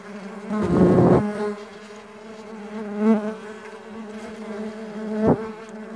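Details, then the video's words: Stingless bees at a bee farm give a continuous low droning buzz, broken by a loud close fly-by early on and two shorter, sharper bursts later. "Stingless Bee Farming Sound Nature - Relaxing Music With Nature Sounds of Stingless Bee and Buzz."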